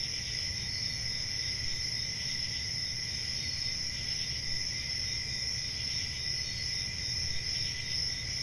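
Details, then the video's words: Crickets on a summer night in a forest, a steady, unbroken high-pitched shrill chorus with several layered tones that never pause, over a low rumbling background hum. "Relaxing Cricket Sounds For Sleep Ambient Summer Night"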